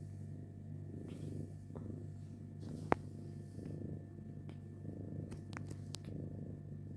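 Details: Pet cats and their kittens at home, one purring steadily in pulsing waves beneath a persistent low hum, with scattered sharp clicks and a single loud tap midway.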